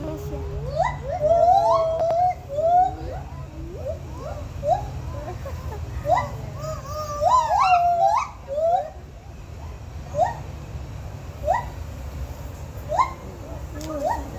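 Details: Monkeys from Sumatra, Indonesia, at Santa Ana Zoo give loud, overlapping whooping calls that swoop up and down in pitch, with people talking nearby.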